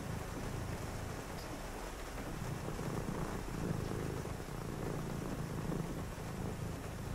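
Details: Domestic cat purring during a quiet reading session on a rainy night; a steady low rumbling purr runs unbroken through the whole stretch, softly pulsing, over a faint constant hiss in the background.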